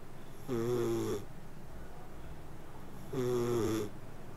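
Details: Two buzzy, whistle-tinged snores from a sleeping cat, each lasting under a second, spaced about two and a half seconds apart in a quiet room.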